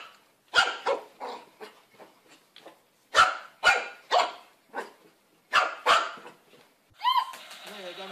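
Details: Rapid string of high puppy barks, some doubled, continuing for about seven seconds before a human voice speaks over the end.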